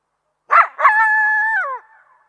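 A coyote gives two sharp barks and then a steady, high, tuneful howl that drops away at the end.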